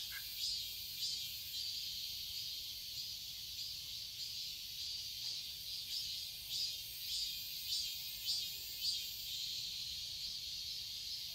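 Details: Cicadas in a garden in Seoul, Korea, in summer: a dense, high, shimmering buzz swells rhythmically about twice a second, the pulses growing more distinct in the second half, over a steady hiss.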